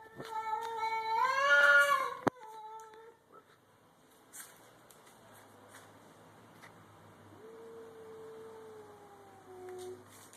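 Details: Domestic cats in a garage about to fight, a grey and white stray against a black cat: a loud wavering yowl peaking near two seconds, then a quieter long steady moan later amid low background hum.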